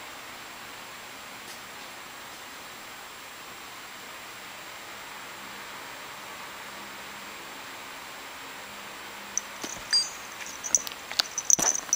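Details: Cats playing a game on an iPad indoors; steady hiss of room noise, then several sharp high tapping clicks near the end.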